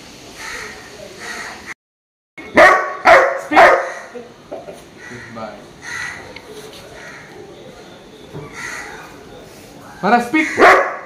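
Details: Labrador Retriever puppy named Maara, in training, barks on the spoken command to speak: short, sharp barks in quick bursts of about three, near the start and again at the end, between a trainer's spoken commands.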